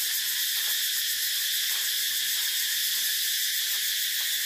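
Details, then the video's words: An unbroken, piercing cicada buzz with a slightly pulsing, metallic shimmer. Occasional faint clicks sound below the even, high drone. "Tiếng Ve Sầu kêu hay nhất"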